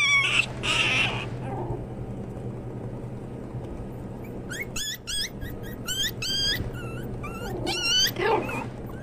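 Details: Pomeranian toy spitz puppies: two shrill squeals open, then a quiet pause, followed by a quick run of short, bouncing yips and whimpers over a steady background hum.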